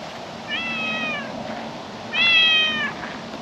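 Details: Calico cat on a table in a park at sunset, basking in the evening sun: two clear harmonic meows, a short level one followed by a louder, longer one about a second and a half later, over a soft outdoor hiss.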